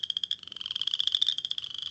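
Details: Western Chorus Frog, the first frog to sing in the season, calling from late March to early April. A rapid, high, pulsed trill like a cricket or a slowly creaking floor, with steady clicks running for two seconds.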